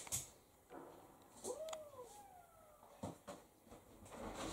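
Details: Seven-week-old Italian Greyhound puppy from a first litter, one of several active pups at play; a brief tonal whine swells then slides downward with faint overtones, among soft rustles and scattered clicks.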